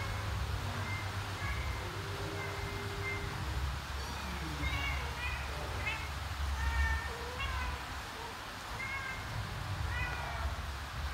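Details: A mother cat searching for her kittens and calling them to follow; a series of short meows, some flat and drawn out, others quick and rising, comes in irregular runs over a constant low rumble.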